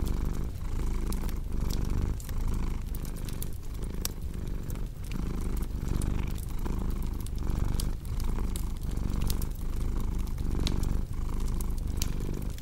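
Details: Cat purring for relaxation and sleep: a deep, continuous rumble that swells and dips in a regular rhythm of about two cycles per second, with cozy fireplace crackling and popping throughout.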